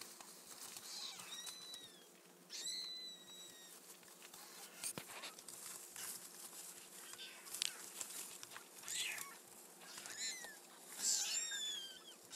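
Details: Week-old kittens calling in high, downward-curving mews, clustered at the start and again near the end, with soft rustling and hiss between cries.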